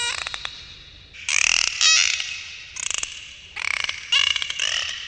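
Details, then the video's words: Underwater dolphins produce dense rattling, pulsed squawks in bursts roughly every second. A clear rising whistle threads through several of them, over low background noise. "dolphins underwater sounds"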